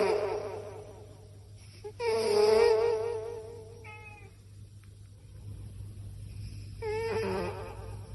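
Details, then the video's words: Cat asleep and snoring, giving long quavering squeaky breaths about five seconds apart with a short thin squeak between them, over a low constant hum. "Snoring cat"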